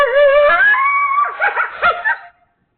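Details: Coyotes freaking out, opening with a clear rising, wavering howl that slides upward, then breaking into a tangle of quick yips and yelps before fading.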